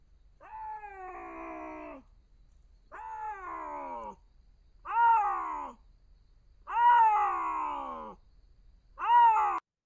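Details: Bobcat meow, more guttural than a domestic cat's; five drawn-out, rich, nasal meows, each about one to one and a half seconds long and roughly two seconds apart, sagging in pitch at the end, against a clean, quiet background.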